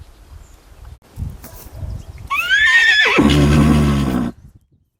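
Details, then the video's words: A 3-year-old Arabian mare in her first heat in May, checked for breeding readiness near geldings, gives a two-second whinny: high, shrill start sliding into a shaky, lower, rumbling tail, after dull thuds. "KLACZ CHCE OGIERA"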